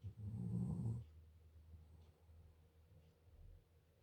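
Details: German Shepherd dog asleep, giving one low, buzzing snore lasting about a second, then soft, faint breathing in a quiet room.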